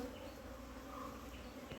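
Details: Short, dense hum of honey bees from a wild colony being hived, a steady even drone with little else heard.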